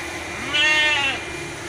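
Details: Merino sheep kept as breeding stock on a farm in Jogja. One loud bleat, nasal and quavering, lasts about half a second over a steady background hiss.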